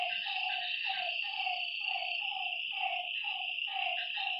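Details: Frogs calling at night by a lake: harmonic croaking notes repeated about three times a second over a steady high insect drone.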